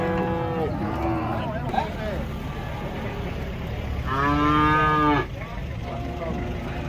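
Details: Huge cattle coming down off a truck, said to be aggressive: a short moo at the start, then a long, strong, steady lowing moo around the middle, over constant low vehicle rumble.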